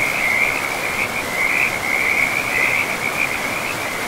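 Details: Frogs by a river in a pristine forest keep up a near-continuous, rapid pulsing trill for the whole stretch, loud and close, with running water hissing underneath.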